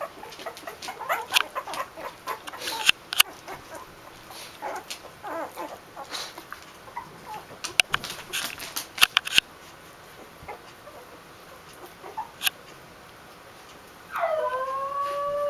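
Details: A litter of two-week-old Basenji puppies, recorded January 20, 2015, give soft, scattered squeaks, then a louder, falling whine near the end.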